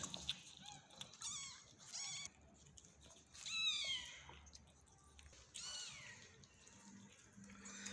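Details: Kittens of a mother cat that is not nursing them because she has not eaten enough, indoors in a small room: a series of high, thin rising and falling mews in short bursts, several overlapping, with brief gaps between.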